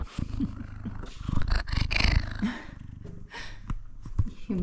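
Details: A male F2 Savannah cat purrs with a deep, steady rumble and gives a few soft, close-up meow-purrs while a woman talks to him.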